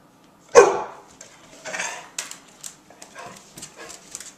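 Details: Puppies barking because they miss their mother, prompted by a person: one loud, sharp bark, then a few softer, scattered yips and rustles, with commands to sit given nearby.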